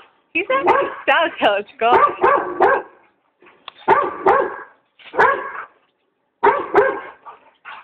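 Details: Frightened German Shorthaired Pointer reacting to a giant squirrel balloon, giving bursts of harmonic barks in short clusters separated by pauses, overlapping with a person talking.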